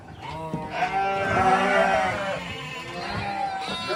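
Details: Goat family of kid, mother and father goats: a long, wavering bleat with rich stacked harmonics swells for about two seconds, then fades into a softer, trailing bleat, with faint background noise.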